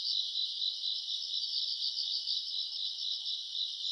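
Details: Summer-night grass insects recorded around August: an unbroken, shrill, pulsing trill of many overlapping chirps that holds a constant level, with no other sound.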